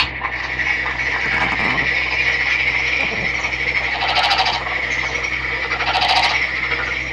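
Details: Captive male Nagoya Daruma pond frog, a green individual netted from a stream, giving two short pulsed croaking bursts near the end over a continuous high-pitched background drone.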